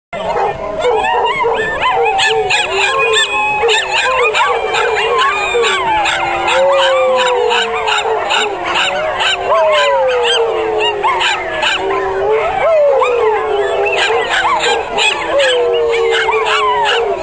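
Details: Miniature schnauzers howling together in an encore of a singing contest at a Portland miniature schnauzer club's annual Schnauzer Walk, 2010: several overlapping wavering howls sliding up and down, with yips and barks throughout and people talking.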